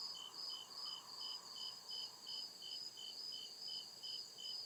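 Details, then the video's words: Crickets chirping at night in deep woods, a steady train of short high pulses about two and a half per second over a continuous shrill hum, with a softer lower whir of other insects beneath. "CRICKET CHIRPING SOUND"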